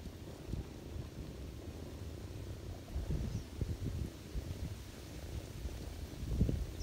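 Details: Ginger cat purring while feeding her kittens on a lap in autumn; a low, steady rumbling purr with soft irregular pulses and a few louder thumps near the end.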